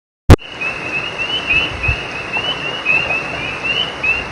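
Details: Frogs calling at night by a creek: after a sharp opening click, a dense chorus of short, high, rising chirps overlaps continuously over a steady rushing background hiss.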